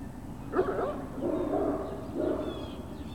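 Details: Great Dane puppies on a hill, 21 March 2019, late morning: one sharp yip followed by two drawn-out, wavering whimpers over a constant low background rumble.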